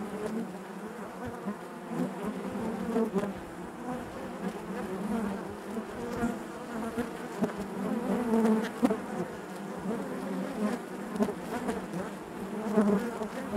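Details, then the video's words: Honey bees in the hive keep up a long, unbroken buzzing drone. The dense hum rises a little in loudness over the second half, with scattered faint ticks and knocks. "bees therapy hive natural buzzing sound"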